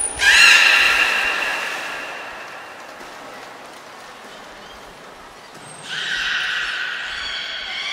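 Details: Port of Nagoya Public Aquarium beluga Nico, recorded during training on February 25, 2024: a loud harmonic call swooping up then holding, a quiet pause, then a second steady tonal call preceded by a thin whistle.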